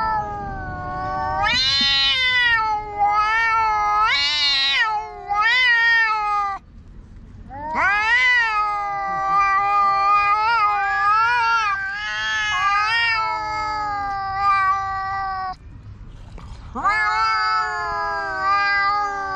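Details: Two black cats, strays in a park, quarrel loudly: long drawn-out wailing howls with wavering, rising and falling pitch, sustained for several seconds each, separated by brief pauses, one voice answering another.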